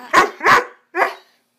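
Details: Young Swiss Mountain Dog, Bower, as a pup on a "bad dog run": two quick loud barks close together, a short pause, then a third bark, indoors.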